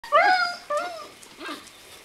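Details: Seven-week-old Greenland Dog puppies from three litters playing together in a farmyard at a kennel in June: three short high whines, the first loudest, falling away with a faint echo.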